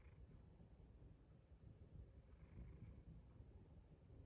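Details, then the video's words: Domestic cat purring, a dense low rumble throughout with no clear popping clicks, plus faint high hiss patches near the start and midway. "고양이 입에서 나는 영문모를 뽀똑! 소리 strange noise this cat makes"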